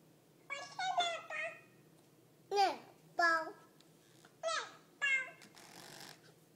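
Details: Talking cat recorded indoors on 13 June 2011, giving a run of short, harmonic meows with falling and bending pitch, grouped in quick bursts then spaced a second or two apart, in a quiet room.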